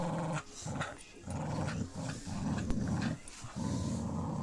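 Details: Playful tug-of-war between Pit Bull Terrier Lucy and puppy Clyde, phone recording in dim light: dense, rough low growling in broken stretches, with scuffling and handling noise over it.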